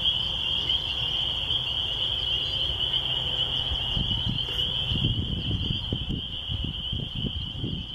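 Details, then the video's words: Countryside church grounds in spring, where a massed spring peeper chorus forms a continuous high, ringing trill; low rumbling noise rises in the second half. "spring peeper sounds"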